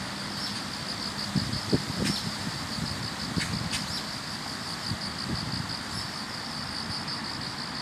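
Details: Grass insects chorusing on an autumn morning along a commute, a steady high shimmering trill with soft regular pulses running throughout, over low traffic-like rumble and scattered knocks.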